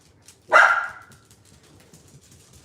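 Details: Dog barking at home as if guarding the neighborhood, with a deep barker and a high-pitched dachshund both about. A single sharp, loud bark stands out against near silence, with faint background rustling.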